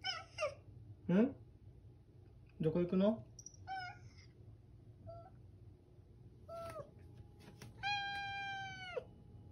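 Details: Affectionate pet cat with a hoarse voice, meowing insistently as if trying hard to communicate; several rasping meows, some rising and falling, ending in a longer clear drawn-out meow, with a woman speaking Japanese softly between calls.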